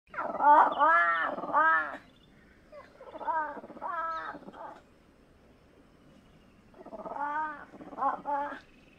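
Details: A fishing cat (Prionailurus viverrinus) gives harsh, wavering meow-like calls in three separate bursts.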